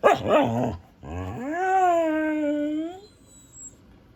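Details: Female Siberian husky kept as a pet gives a quick rough bark, then a long, smooth howl that swells upward and holds steady for about two seconds before fading.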